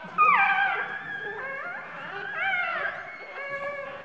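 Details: Day-old-plus newborn puppy whimpering for help under its sitting mother: one loud falling whine followed by softer, wavering, drawn-out cries over a few seconds.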